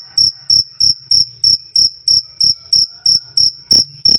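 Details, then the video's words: Twelve quick, ringing cricket chirps in four seconds, a clean high "krik" pulsed at an even rhythm, loud and clear, the last two sounding rougher and fuller. "Suara Jangkrik "Krik Krik" Keras Dan Jernih"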